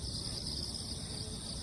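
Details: After a typhoon, crickets sing over wet ground; continuous high-pitched trilling bands from several insects fill the short stretch, over a soft low background hum.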